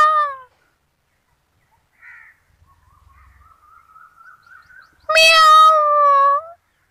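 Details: A kitten gives a short meow, a faint thin mew, then a long, loud, high-pitched meow.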